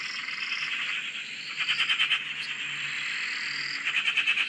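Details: Australian frogs massed around a dam produce a steady high buzzing chorus, with rising whistled notes sliding upward and a short burst of rapid pulsed clicks in the middle and at the end.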